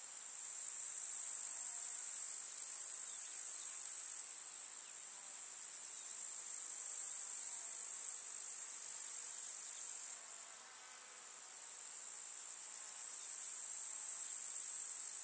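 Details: Grasshoppers in a summer meadow with wildflowers in the countryside: a dense, continuous high-pitched buzzing chirr that swells and dips in loudness, briefly softening around four and ten seconds.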